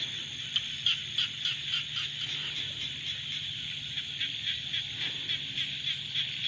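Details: Frogs calling in the rainy season: a dense, steady chorus of high, rapidly pulsed calls. Overlapping pulses follow each other several times a second without pause, and a low hum runs underneath.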